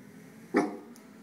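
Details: Single short, sharp bark from an 8-month-old female West Highland White Terrier guarding the house. One clear harmonic yelp, then quiet room noise.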